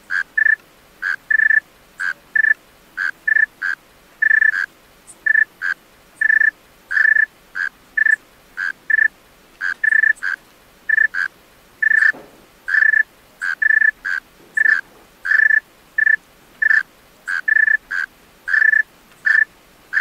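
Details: A male tree cricket sings at night in a long run of about thirty-five brief, ringing, steady-pitched chirps, irregularly spaced and occasionally doubled. The background is otherwise still, with one faint low thump midway.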